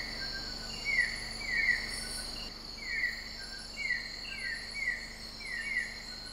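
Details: In Sabah on Malaysian Borneo, a broad-headed frog gives brief sliding chirp notes in loose series roughly every half second, set against a constant shrill insect hum and faint background hiss.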